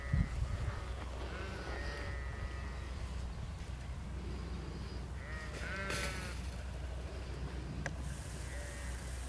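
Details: A flock in a field under a working sheepdog's control, bleating in short harmonic, wavering cries spread through the recording, partly masked by constant low wind buffeting.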